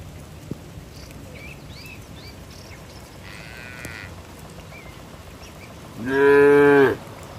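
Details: Tame cattle in a herd running toward their barn in the rain: after a quiet stretch with a faint, short lowing, one loud, drawn-out harmonic moo of about one second near the end, with faint bird chirps in the background.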